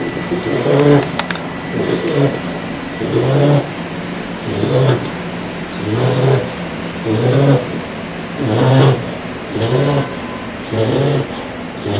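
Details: Four-month-old English Bulldog puppy snoring loudly while asleep at home; rhythmic low rasping snores roughly every 1.3 seconds, each a rough inhale with a low rumble, steady through the recording.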